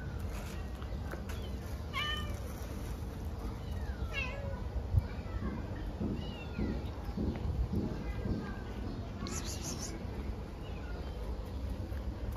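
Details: Stray cats at a street feeding, giving a few thin arched meows early on, then quieter; a steady low background rumble continues, and a person's voice is heard through the middle.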